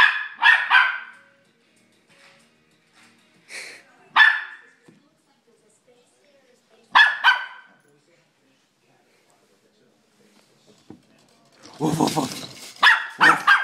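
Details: Pet dog barking at a slinky toy: short, sharp barks in ones and twos spaced several seconds apart, ending in a denser burst of barking mixed with a person talking.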